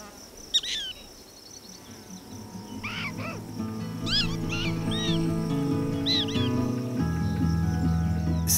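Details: A lookout prairie dog, standing upright after a threat has passed the colony's town, gives short, sharp, downward-sliding chirps, an all-clear signal telling the others to resume activity, over soft background music.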